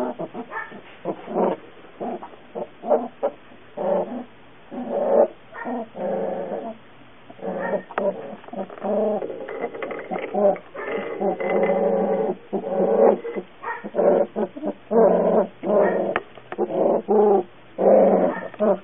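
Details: Young puppy whining steadily, short nasal yips mixed with longer sustained whimpers that rise and fall, arriving in irregular bursts about every few seconds.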